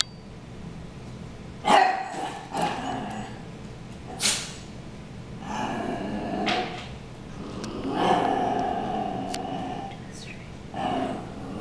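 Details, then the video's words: Two dogs, Harry and Ferris, brawling indoors: a series of sharp, mid-pitched barks and yips in bursts, with short growly pauses between them and a small room's echo. "Harry & Ferris Brawl"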